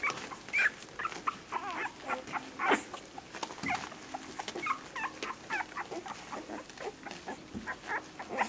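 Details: Seven-day-old whippet puppies from an orange female's litter, recorded 28 April 2018: a chorus of thin, high whimpers and squeaks, several overlapping, short rising and falling cries repeating irregularly about every two seconds.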